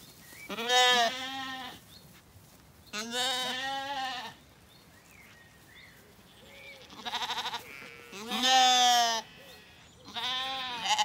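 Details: Weaned Zwartbles lambs settled in an orchard on a County Kilkenny farm in Ireland one evening, calling in turn: five bleats about a second long, spaced by pauses, some louder and closer, with faint calls between.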